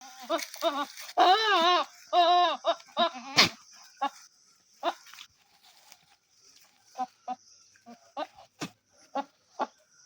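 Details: Goat (Capra hircus), bleat.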